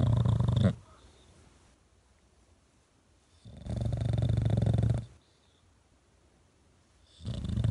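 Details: A rescued English Bulldog, Baby G, sleeping on his owner's cheek as he has since puppyhood, snores in long, low, rumbling breaths, each lasting about a second and a half.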